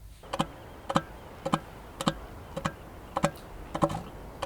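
A male northern elephant seal gives a steady series of deep, guttural claps, about two each second.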